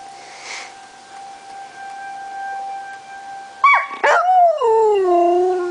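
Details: Pet dog Lazarus howls along with the monthly tornado sirens, July 1, 2009; after a few seconds of steady siren drone, a sharp yelping onset breaks into a long, falling, wavering howl.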